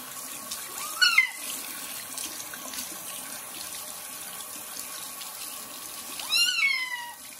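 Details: Kitten Joe, a young cat given his first bath and flea treatment before moving to a new home, meows twice over running tap water: a rising-then-falling cry near the start and a longer, wavering one near the end.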